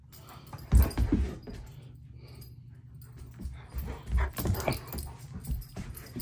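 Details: German Shepherd throwing a tantrum indoors, 'talking' in short low grumbles and whimpers. Uneven bursts come every second or so, with a quiet gap in the middle. The small room adds a faint hum.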